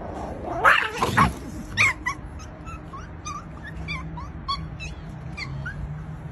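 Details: Female Chihuahua vocalising: a couple of louder yelping whines, then a run of thin, high, quickly repeated whimpering squeaks, over a steady low background hum.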